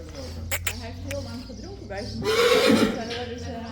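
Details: Friesian colts and fillies led out to pasture, new horse Tjalle among them; Dutch voices, then a short, rough neigh rising out of the murmur partway through before fading back under talk.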